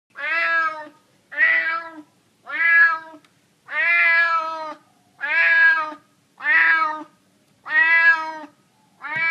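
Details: Hungry stray cat in San Francisco meowing for food: eight loud, harmonic meows, each under a second long, repeated roughly every 1.2 seconds, slightly falling in pitch at the end, with quiet gaps between.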